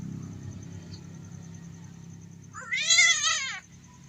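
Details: Domestic cat during mating gives a single loud, wavering, nasal yowl lasting about a second, pitch trembling up and down, over a steady low background hum.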